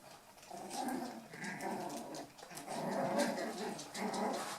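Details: Eight-week-old toy poodle puppies from Tami's last litter playing indoors, giving low, rasping growls in roughly one-second bursts, repeated with short pauses and a whiny edge at times.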